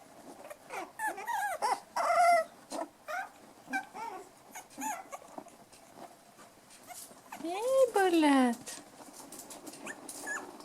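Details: Five-week-old toy poodle puppies, black toy and white dwarf and toy, named Bullet, Elsa, Erin and Mikasa, playing indoors: a string of short high yelps and rising-falling whines, then one long sliding whine near the end, with a person calling their names.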